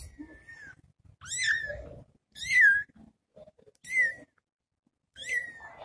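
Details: Little kitten left alone after its mother went to find food, giving high, thin meows that sweep down and level off, about one every second and a half, with soft lower chirps between them in a small indoor space.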